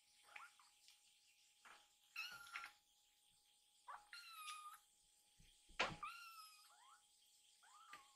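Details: Rescued baby kittens, two of them, meowing as they rush toward food and ask for more milk; several high, bent meows with rich harmonics, some short and some drawn out, scattered across the clip with soft shuffling between.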